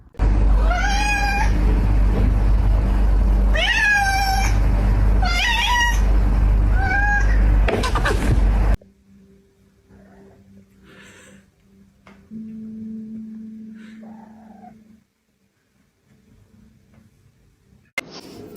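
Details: Domestic cat giving four loud, drawn-out meows over the first eight seconds, each rising then falling with strong harmonics, followed by a quiet indoor stretch with a steady low hum and faint thuds.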